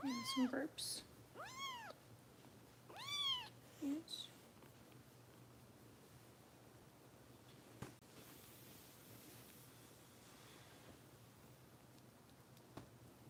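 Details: Harper, a foster kitten being bottle-fed with Kitten Rescue in Los Angeles, gives three arching meows and a short squeak within four seconds, then falls quiet, leaving only soft room noise and a couple of faint clicks.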